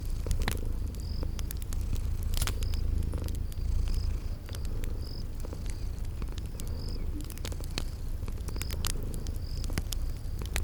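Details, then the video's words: Deep steady purring of sleeping kitties near a crackling fireplace in spring garden ambience, pulsing softly every couple of seconds, with regular high insect chirps and scattered sharp fire crackles. "Relax with Cute Sleeping Purring Kitties"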